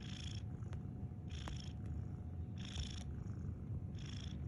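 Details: Snoring cat: four soft, hissy breath sounds with a faint whistle, spaced a little over a second apart, sit on top of a deep, constant rumbling hum.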